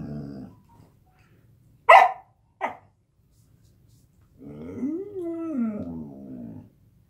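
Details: Samoyed dog vocalizing in the morning at home, a talkative babbling; after brief sharp sounds, a long wavering, rising-then-falling moan-like howl lasting about two seconds, with soft background hum.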